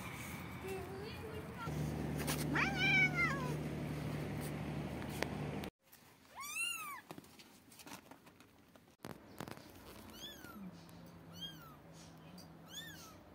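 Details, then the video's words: Kitten meows from a compilation of animal sounds met in Turkey: several high, arching mews repeated in bursts, some overlapping, after an opening stretch of steady low hum and background noise with faint voices. "Yavru Kedi Sesleri"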